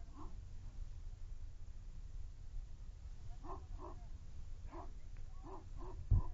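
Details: Lubim, a nine-month-old male dog, barking during a defense test: a few short, sharp barks spaced out over several seconds, with a steady low rumble of wind or handling noise beneath.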